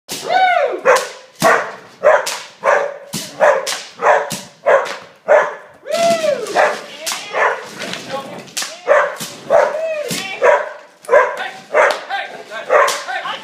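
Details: Border Collie during bitework training amid environmental distraction; sharp barks repeat roughly every half second to second, some with rising-falling whine tones, with a person speaking in between.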